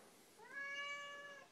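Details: [2, "Complaining Siamese cat gives a drawn-out meow that slides upward at the start, then holds a steady, fairly soft tone for about a second; a person's voice is heard around it."]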